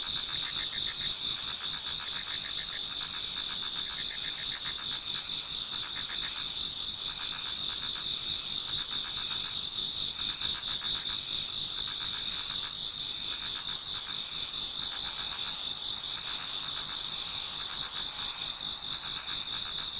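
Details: Dense autumn insect chorus before dawn in a Japanese garden: unbroken high trills in layered bands, overlaid by quick rhythmic pulses, steady and even throughout twenty seconds.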